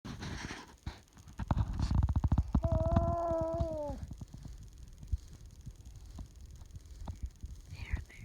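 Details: A young puppy that loves to talk and seeks attention, making Chewbacca-like noises when petting stops: rapid low pulsed grunts build into a drawn-out, tonal whine lasting over a second that bends downward, then trails into soft rumbles and snuffles.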